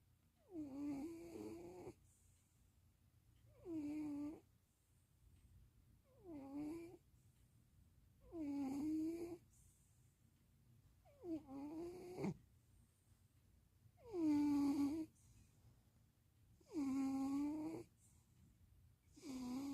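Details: Sleeping cat Stevie snores eight times, one every two to three seconds, in Austin, Texas on 2026.04.07; the buzzy, humming breaths grow louder and longer toward the end, with silence between them.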